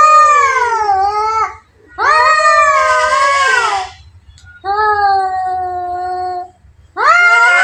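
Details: Two cats in a fight, giving drawn-out, whining caterwauls with rich harmonics, the pitch bending up and down; four long bursts separated by brief pauses, one ending in a rougher, noisier cry.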